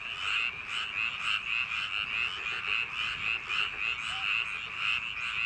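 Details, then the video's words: Dense chorus of frogs in paddy fields on a summer night, with harsh pulsed croaks pouring out fast, nearly two beats per second, and overlapping voices keeping the din continuous. "개구리 울음소리 l 불면증 숙면효과 l ASMR | frog sound for sleep | 여름밤 논두렁개구리소리"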